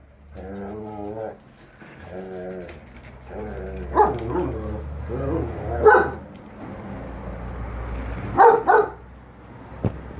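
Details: German Shepherd Enzo and Husky Shira arguing over a lawn mower that Enzo thinks is evil: wavering, melodic woo-woo howls in two stretches, then several sharp barks spaced a second or two apart over a low hum.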